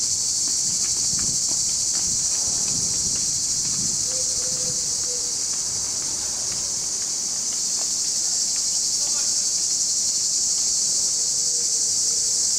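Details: Many male cicadas sing together in July in Larissa, Greece, an unbroken, high-pitched buzzing hiss that holds the same level throughout, with faint rustling and a few soft low sounds beneath the chorus.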